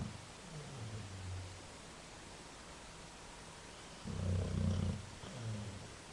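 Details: Dog snoring loudly while asleep: low, rumbling breaths in uneven bursts, one longer and louder than the others, over steady background hiss.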